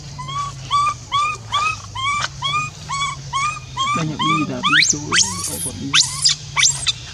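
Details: Monkey left on its own, crying for its companion: a row of clear, rising coo-like calls repeated about every half second, breaking into wavering, then harsh, squealing screams. Low hum in the background.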